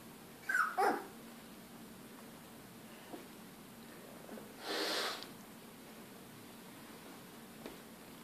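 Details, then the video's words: Three female Labrador retriever puppies about three weeks old, just beginning to walk: two short, high, squealing whimpers close together near the start, later a single breathy, noisy burst, over a low steady indoor hum. "Labrador retriever puppies"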